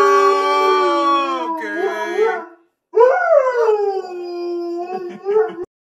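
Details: Siberian Husky giving two howls separated by a brief silence: the first sustained and then breaking into wobbling, yodel-like bends; the second rises sharply, then settles into a long level tone with short warbling inflections.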